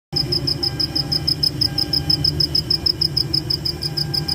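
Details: Cricket chirping at night in a forest: a high, thin pulse repeated several times a second in a steady train, over a constant low rumble.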